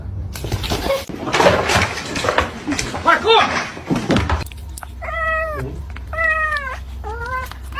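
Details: Domestic cat meowing after a woman speaks, three drawn-out, slightly wavering meows spaced about a second apart, each rising then falling, following several seconds of her talking.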